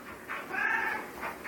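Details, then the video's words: Domestic cat, recently stuck in a tree, answering its owner with a soft, level meow in the middle of the clip while a person repeats bye around it. "Talking Cat"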